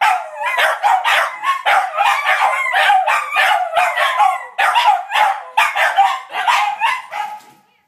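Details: Three pet dogs joining in one of their several daily howling sessions. Choppy yips and short barking bursts mix with wavering howls, repeating in rapid pulses before fading to quiet at the end.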